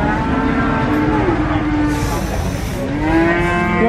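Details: Cattle at the Nglangon livestock market in Sragen, Indonesia, during a pregnancy check. Low, drawn-out moos rise and bend in pitch over a steady, loud crowd din. Occasional hissy noise bursts are also heard.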